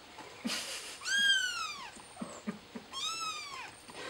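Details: Domestic cat, a mother trying to help her kitten; two clear, drawn-out meows with rising then falling pitch, about two seconds apart, with light tapping and rustling between them.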